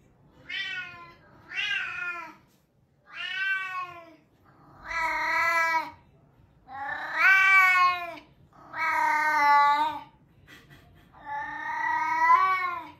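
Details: Bengal cat screaming loudly indoors, a series of seven long, harsh, drawn-out wailing cries, each lasting about one to two seconds, separated by short pauses, with strongly harmonic tone and slight wavering pitch.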